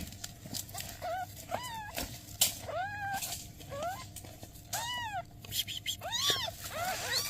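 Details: Newborn kittens with their mother cat, who is asking for help; repeated thin, high, arched mewing cries about every half second to second, some rising then falling, over steady low background hum.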